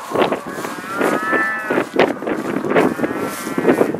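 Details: Black Angus cattle from a herd in northeast Kansas, released into spring pasture in 2015, mooing with long harmonic calls that rise and fall, with short bursts of broadband noise between them, possibly wind.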